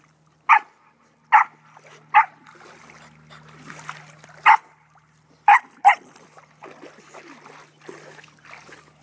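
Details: Australian Cattle Dog and Pembroke Welsh Corgi at swim time in a pond; loud, abrupt barks at uneven intervals, about seven in nine seconds, with soft splashing and a low steady hum between.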